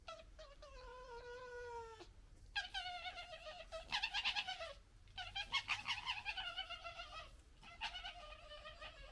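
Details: Red foxes from a local family group gekkering while fighting and disagreeing: a drawn-out, falling, harmonic wail opens, then three long bouts of rapid, stuttering, throaty chatter with short gaps between them.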